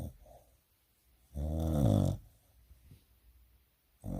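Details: Sleeping dog snoring: one deep, rasping snore lasting under a second, then near silence before the next breath begins.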